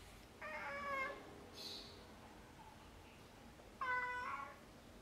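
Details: Angel, a pet domestic cat, filmed indoors at 7:38 PM on 21 October 2021, the day she stopped drinking water and two days before dying, gives two drawn-out, harmonic meows about three seconds apart against a quiet room background.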